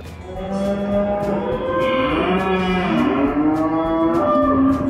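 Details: Several cattle at a livestock fair and auction moo in overlapping, wavering calls. The deeper and higher voices rise and fall against each other while regular percussive taps of background music keep time.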